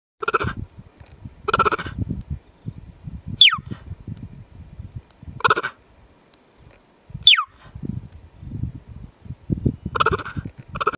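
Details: A cheetah gives short, high, bird-like chirps, some sharply falling, at irregular intervals.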